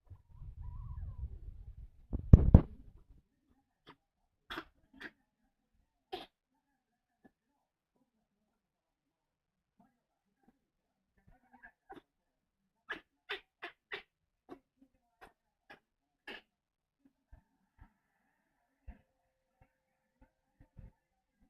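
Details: Blue tan and white Chihuahua puppy Ash, unwell with kennel cough after a change of home, lets out one sharp sneeze after a soft low rumble, then only scattered light clicks and taps in a quiet room.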